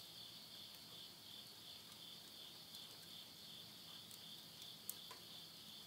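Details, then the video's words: A late-summer night chorus of insects, recorded at midnight in Tottori, Japan, in September 2020, forms a constant high whirring drone; scattered clicks and a few louder pops come from flames in a wood stove. "the voice of insects"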